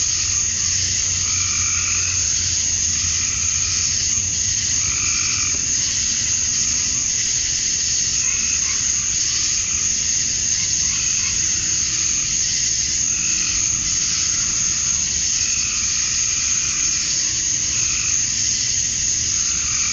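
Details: Male cicadas at dusk on a summer night in Georgia, USA, calling to draw females: an unceasing high, hissing drone, overlaid by repeated lower croaking pulses every couple of seconds.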